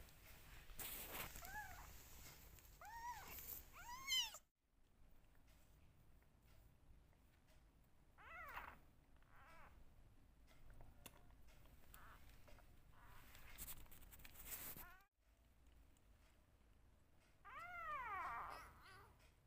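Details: Rescue kitten, one of two left, loudly meowing for attention during bottle feeding; quick series of arched rising-falling meows with rustling and handling noise, a quieter stretch, then one more strong meow near the end.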